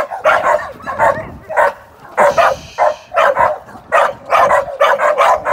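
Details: Young Amstaff sporting dog training ahead of ADBA events; loud, gruff barks in quick runs, some doubled, steady through several seconds.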